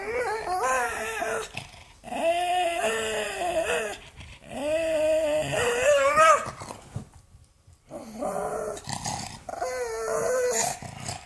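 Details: An angry pug growling indoors in a small room, voiced grumbling growls in long rising-and-falling bursts of about two seconds each, separated by short pauses, with one longer silent gap midway.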